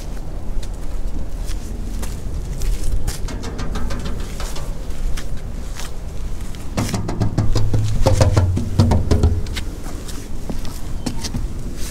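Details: Light music with low bass tones and rapid percussive tapping and clatter fills the recording, with no animal calls.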